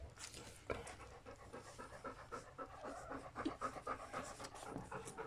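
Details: Rapid, rhythmic panting from three-week-and-two-day-old puppies born to Folie and Mayley: short airy huffs repeated close to four times a second, steady throughout with slight swells in loudness.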